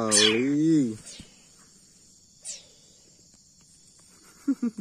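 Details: Leopard cat kitten being hand-fed formula milk gives a drawn-out, wavering, harmonic growl-like call lasting nearly a second. A sharp falling hiss follows after a pause, and soft short calls come at the end over a quiet background.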